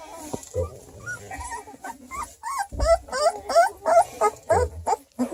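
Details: Two-week-old registered purebred Redbone Coonhound puppies at a breeder near Kingston, Ontario, Canada, whimpering in a quick run of high, wavering squeals and yips, almost three a second, while a person talks quietly underneath.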